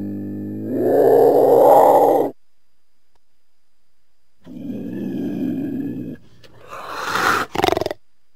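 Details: A cougar (Puma concolor) gives a loud, harsh, drawn-out cry, then a rough growling rumble and a short snarl.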